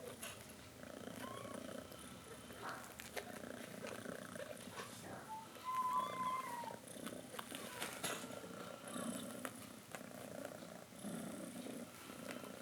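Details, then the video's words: Mother cat calling her kittens to drink milk, indoors; steady low rumbling purr throughout with a short rising mew near six seconds and light handling noises. "Mother cat calls her kittens to drink milk"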